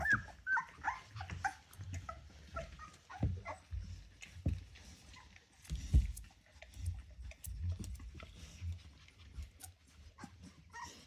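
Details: A litter of ten Rottweiler puppies just over three weeks old: a few thin squeaky whimpers at the start, then mostly scuffling, bumps and clicks of pups moving about indoors, with scattered faint squeaks.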